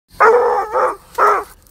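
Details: Treeing Walker Coonhound with high prey drive, day one of training, reacting to a squirrel: two deep, drawn-out bay-like barks with rich harmonics, the second split by a brief dip.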